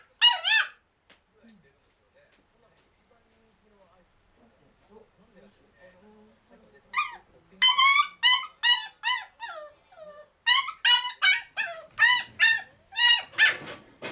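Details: A male black-and-tan Kaninchen dachshund puppy under a year old, in Chiba, Japan, whines in high, squeaky bursts from his cage, wanting to be let out and given attention.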